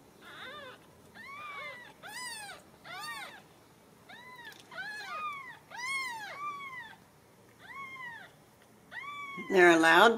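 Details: Ragdoll kittens raised at a home cattery in central Kansas, uncaged, mewing in a rapid series of high arched calls, about a dozen in ten seconds, some overlapping as several kittens call together; a loud burst near the end.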